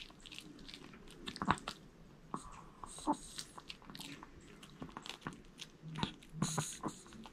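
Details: Indoors, the male Maltese Jamong works through a whole sweet potato, giving moist smacking chews and crisp bites at uneven intervals, a couple of sharper crunches standing out.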